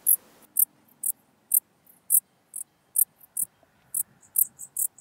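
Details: Song of the Common Dark Bush-cricket from Tuttlingen, Germany, 8 October 2022: crisp, very high, clicking chirps at uneven intervals of about half a second, with faint low background rumble.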